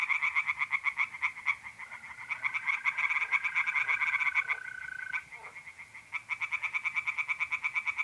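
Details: A pond at night in North-East Italy in mid-April, with singing tree frogs pouring out rapid, harsh pulsed croaks almost without a break. A brief lull comes near the end. Mole crickets hold a steady, even trill beneath them.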